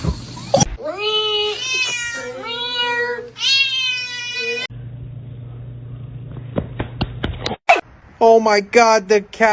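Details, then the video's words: Kittens meowing in a series of three drawn-out, slightly falling cries, each rich in overtones, then a quiet stretch with clicks and a final rapid cluster of short, bright mews. "Kitten meowing"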